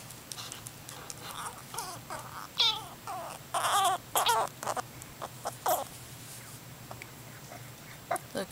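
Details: Mr. Nutty, a rescued squirrel hand-raised after a felled tree left him orphaned with eyes still closed, cries when moved while eating, showing food aggression; bursts of wavering, squeaky, harmonic squeals come in quick irregular clusters.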